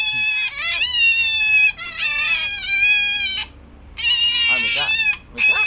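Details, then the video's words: Close-up of a tame pet otter making shrill, piercing squealing calls in long bursts, some wavering and rising, separated by brief pauses, with people chatting in the background. "suara berang berang"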